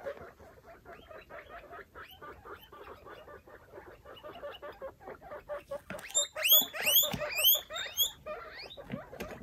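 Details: Guinea pigs in a clean cage, five foster babies with their mother exploring; steady pulsed squeaks, then from about six seconds loud high shrill upward whistling wheeks over the chatter.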